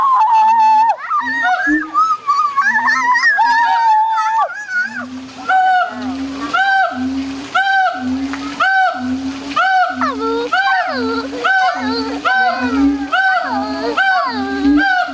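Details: Howler monkeys at the Audubon Zoo, New Orleans, on 16 August 2008, calling very loudly; deep, hoarse roars pulse roughly twice a second with rising and falling overtones, after a few opening warbled notes.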